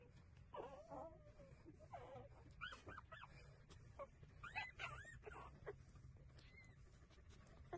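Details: Puppies of street dogs taking breastfeeding, uttering short arched squeals and whines in quick succession, some overlapping, with faint sucking noises and low rumble throughout.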